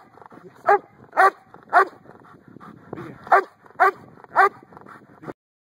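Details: Giant Schnauzer giving six deep, hoarse barks in two groups of three, with a short pause between groups and soft snuffling and rustling in the gaps.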